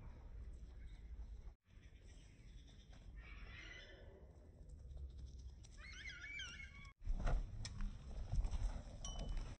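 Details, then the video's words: Guinea pigs running toward their owner, giving short, high wavering squeals with bright harmonics in two bursts, over a steady low rumble of handling and movement noise, with thumps near the end. "Guinea pigs running to me"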